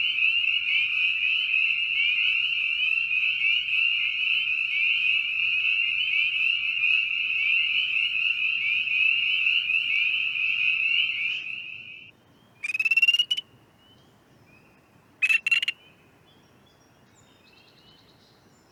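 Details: A group of spring peepers in Ohio give a dense mating chorus of high, shrill, bird-like peeps blending into a continuous ringing sound, with a slightly different call at the end.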